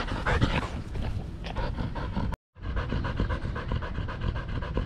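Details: Belgian Malinois named Danny, in the Philippines, panting while playing fetch; quick rhythmic breathy huffs run steadily, broken by a brief silent gap midway.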